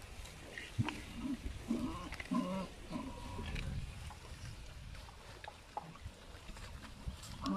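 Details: Many Asian pigs, both adults and piglets, eating natural food in a village give short, low, throaty grunts in uneven bursts, with snuffling between them.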